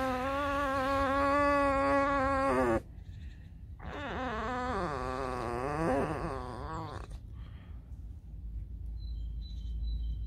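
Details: Alice, a pet fox kept at home, complaining of hunger: a long, steady, high whine with rich harmonics for nearly three seconds, then after a pause a wavering, rising-and-falling whine; room noise follows.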